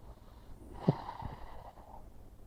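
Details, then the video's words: A sleeping pug with one paw curled under makes sleeping sounds. There is a single sharp snort near the middle, followed by softer snuffling breaths over a low indoor hum. "Pug with paw curled under makes cute sounds while sleeping"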